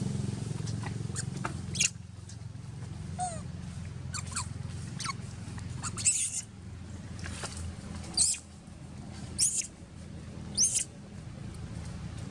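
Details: Janet, a young wild monkey in Cambodia, crying and calling for her mother Jane; brief, very high-pitched squeals come in irregular bursts, some rising sharply, over a steady low rumble of background noise.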